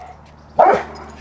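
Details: A Cane Corso gives a single deep, abrupt bark on command on day three of bark-on-command training, with his favourite ball as the reward.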